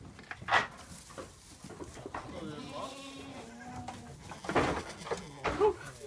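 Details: Twin Toggenburg/Alpine cross doeling kids at play; a drawn-out wavering bleat in the middle, with brief louder calls and human voices around it.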